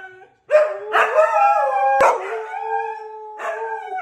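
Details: Siberian Husky brothers howling together on a football Sunday: drawn-out tonal howls with rich harmonics, a short break, then overlapping voices gliding and wavering, ending with a fresh rising howl.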